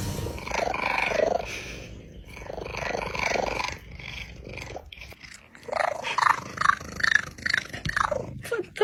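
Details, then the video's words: Cats making funny sounds: rough, growling yowls and strained meows in uneven bursts, some drawn out and wavering, others short and clipped, with quieter breathy gaps between them. "cats funny sounds"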